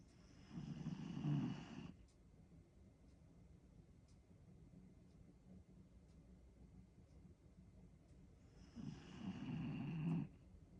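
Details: Pembroke Welsh Corgi named Gabu snoring while asleep indoors: two long, rasping, low inhaled snores about eight seconds apart, with quiet breathing and soft faint ticks between them.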